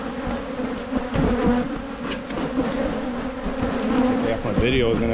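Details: Honey bees at Michigan hives being split to prevent swarming: a dense, steady low hum with a layered drone, and a brief tonal sweep near the end.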